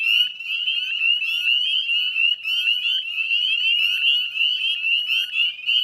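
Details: Northern spring peeper chorus recorded at dusk on 18 May 2020 in West Chezzetcook, Nova Scotia, Canada; a thick layer of high, upward-sliding peeps from many frogs, continuous and shrill.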